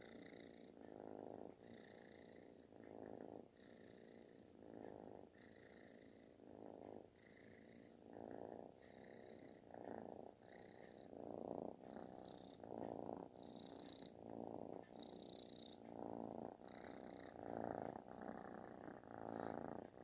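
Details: Kitten purring very loudly, like snoring, while seeking affection indoors; rough rumbling purr in alternating swells roughly every second and a half, each breath in and out marked by a louder burst, with faint higher hiss-like overtones.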